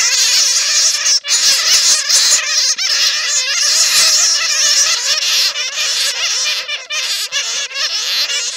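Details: Real calls of netted bats, used to lure more bats: loud, crowded squealing and chattering with quick wavering notes, many callers overlapping continuously for the whole stretch.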